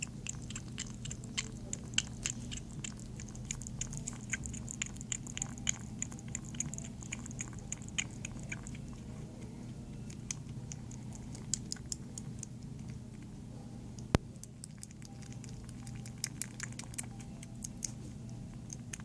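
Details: Female kitten up for adoption at a volunteer shelter, eating indoors: rapid soft clicking chews and crunches repeated through the clip over a steady low hum, with faint high squeaky tones early on.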